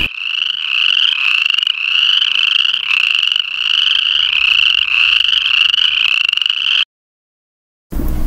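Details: Western chorus frogs in Tennessee give rapid, cricket-like creaky trills, repeated over and over as a mating call. They call early in the year in breeding pools shared with spring peepers.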